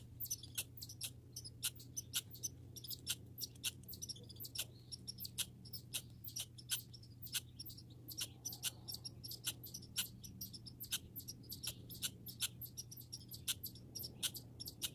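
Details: Backyard grey and red squirrels keep up a long run of crisp, high ticking chirps, spaced roughly every half second, with a faint low hum beneath.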